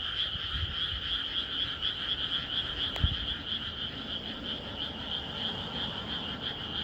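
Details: Countless frogs croak together on a calm countryside night, their shrill pulsing trills merging into a steady wall of sound; a single sharp click cuts through near the middle, with soft low rumbling beneath.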